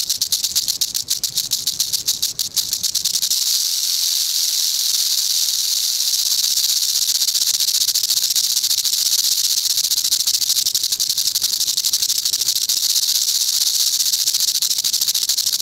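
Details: Eastern diamondback rattlesnake buzzing its tail rattle as a warning to potential predators, a steady sizzling drone throughout, with some low rumbling handling noise during the first three seconds.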